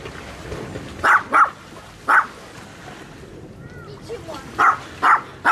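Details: Handheld Sony FDR-AXP55 recording of a barking dog: a quick double bark, a single bark, then a quieter stretch with faint sounds before three more evenly spaced barks near the end.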